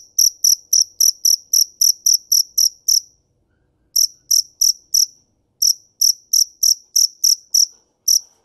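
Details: A cricket gives crisp, high-pitched chirps about three or four per second, in a long opening run, then shorter bursts separated by silent gaps of about a second.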